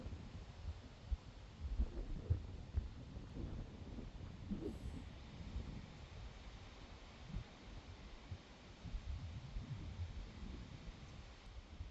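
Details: Quiet low rumbling noise with a few soft thuds and no animal voice.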